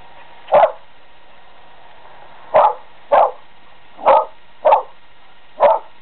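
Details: Dog named Selma barking frantically at a squirrel trapped on a neighbouring house: six sharp, loud barks over about six seconds, spaced irregularly with a longer pause after the first, over a steady low background hum.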